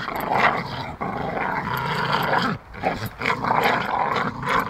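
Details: Pair of Staffordshire Bull Terriers at play, a steady stream of gravelly growls and snarls that dips briefly midway, then resumes in choppy pulses.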